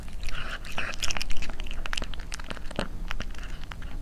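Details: Cat eating: rapid wet crunching and chewing bites, many per second, with clicks and crinkles close to the microphone and faint voices behind.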